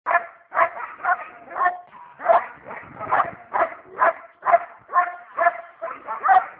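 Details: Pet dog being fierce, giving a rapid run of loud, harsh barks about two per second, each short and forceful, with brief gaps between them and no other sounds.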